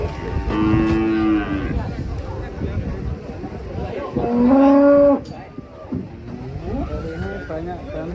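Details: Two loud moos from cattle, the first a flat drawn-out low, the second a short, strong call that rises slightly, with lighter background noise between them.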